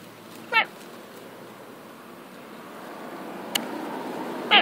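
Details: Female pet cat playing in grass utters two brief meows, one near the start and one at the very end, separated by a sharp click and a soft rising background rush.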